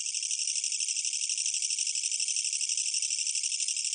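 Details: A Korean katydid gives a loud, unbroken, buzzy trill, harsh and high-pitched, pulsing rapidly throughout; recorded in Korea in 2020.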